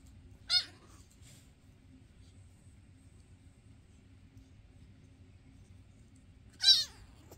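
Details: Two loud, high meows from a foster cat, six seconds apart, each a short harmonic cry sliding downward, with quiet indoor background between them; the household fosters Basil, Oodles and Zimothy, filmed May 22, 2024.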